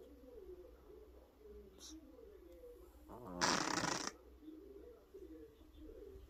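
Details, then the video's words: Pet cat asleep and snoring loudly: one rough, pulsing snort lasting under a second, opening with a quick rattle and swelling into a harsh noisy rasp, with a faint wavering hum before and after. "아가씨 코를 너무 고세요 ㅋㅋㅋ."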